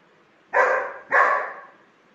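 A German Shepherd gives two deep, full barks about half a second apart.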